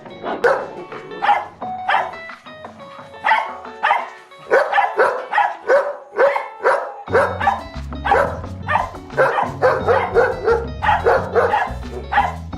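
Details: Dog giving a loud, firm alert bark, used to warn of danger such as strangers nearby; a long run of sharp, rough barks in quick uneven bursts, with background music joining halfway through.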